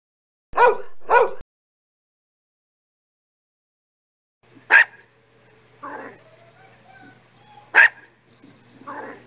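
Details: Dog barking: two short, rough harmonic barks close together, a pause of about three seconds, then single sharp barks spaced about three seconds apart, each followed by a softer lower yelp, over a faint low hum.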